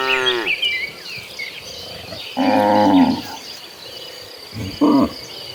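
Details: Cattle walking as a herd toward green pasture: a brief moo at the start, a fuller moo lasting under a second midway, and a short final low, over faint birdsong.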